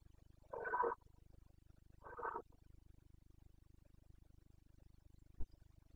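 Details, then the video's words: Red deer stag of the Carpathians, Bucovina, rutting season late September: two short rasping roars a second and a half apart, then quiet except for a single sharp click. "Boncănit / Carpathian stag Breeding season"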